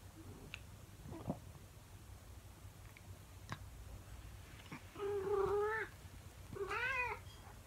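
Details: Female calico house cat indoors, howling a morning song after her owner leaves the room. After faint clicks and shuffling, two drawn-out, wavering, harmonic howls sound near the end, each close to a second long.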